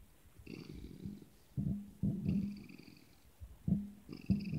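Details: Siamese cat kept as a pet, voicing a 'No' reply to its owner: rough, low, rumbling bursts in quick pairs, each about half a second long, over a quiet room with faint high steady tones.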